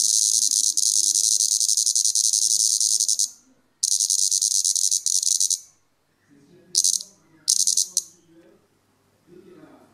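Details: Plebeian cicada, Europe's largest cicada, deliberately disturbed while sucking sap and showing displeasure: loud, harsh, high rasping buzz in long sustained bursts with short silent gaps, then brief stuttering bursts; faint low murmur between.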